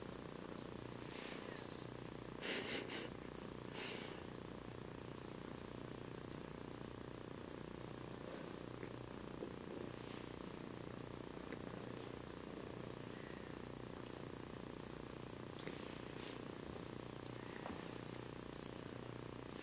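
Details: A one-year-old female three-legged Bengal tabby mix cat purring while having her chin scratched: a soft, steady low rumble pulsing about 200 times a minute, with a few faint rustling and scratching noises.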